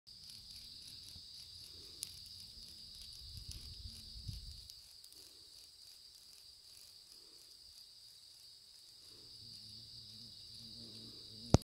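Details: A blackish cicada, attacked by a hunting European hornet, gives a steady, shrill, high-pitched buzzing drone that runs unbroken throughout.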